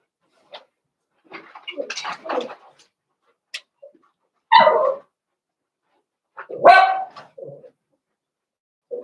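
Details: Indoor puppy pen with a litter of five blenheim Cavalier King Charles Spaniel puppies born at New Year: scattered soft squeaks and clicks, then two louder yelping barks a couple of seconds apart, with brief whimpers between.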